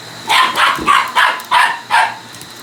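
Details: Male Shiba Inu squaring up to a vacuum cleaner, firing off five quick, sharp barks in under two seconds against the cleaner's constant humming drone.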